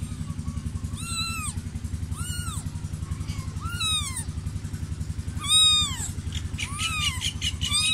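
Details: Kitten crying, the cat's beautiful kitten: a series of arched, rising-then-falling meows roughly once a second, some closely paired, over a steady low engine-like drone throughout.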